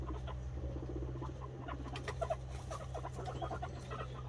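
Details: Guinea pig boar meeting a white sow at their introduction; short soft squeaks and chirps come in scattered bursts over a low pulsing rumble, with a steady background hum throughout.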